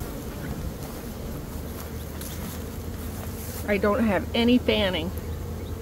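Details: A honey bee swarm hums steadily in early May after a nectar dearth, caught by a beekeeper; a continuous low buzzing drone runs throughout, and a person starts talking over it in the last two seconds.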